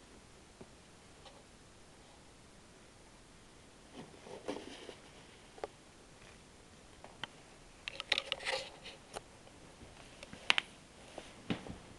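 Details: A quiet small room holds only soft tapping, rustling and occasional sharp clicks.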